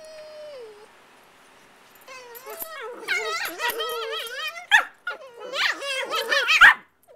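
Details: Two puppies aged five and eight months making funny noises while playing: a thin steady whine fades, then a long run of wavering, howl-like whines and squeaky yelps with rising and falling pitch builds to loud, strained cries.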